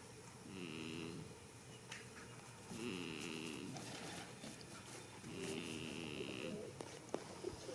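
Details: A goat sleeping in a field on the first day of spring snores in slow, rasping breaths. Three drawn-out, wheezy snores come about every two and a half seconds, with faint rustling between them.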